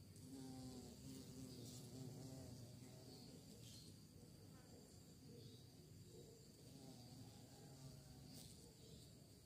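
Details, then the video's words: Buzzing bee hunting for prey: a deep, vibrating drone whose overtones wobble up and down, loudest at the start and again in the second half, with steady hiss and faint high-pitched tones behind. "Lebah Mencari Mangsa, Suara Lebah"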